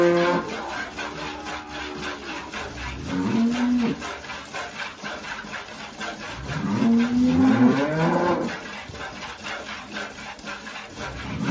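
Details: Holstein cows and calves at milking, El Salvador countryside; two shorter, rising moos several seconds apart amid constant rasping, clattering farm noise.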